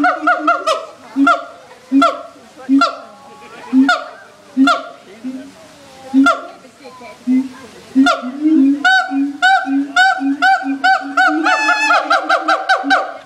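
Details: Siamangs at a zoo, a baby among them, give loud, honking hoots in a steady series that speeds into a rapid, excited run, audible throughout the zoo.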